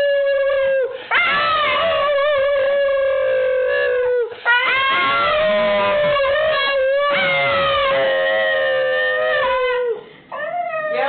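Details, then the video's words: Pet dog 'singing': long, loud, tuneful howls with a steady mid-pitched tone, wavering and sliding up and down, in three sustained phrases separated by brief breaths, ending with a short rising yelp. "singing dog"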